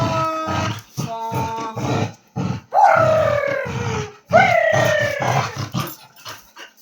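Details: A Labrador Retriever at play lets out two loud, drawn-out whining howls, each jumping up sharply and then sliding slowly downward. Bengali speech fills the stretch before them.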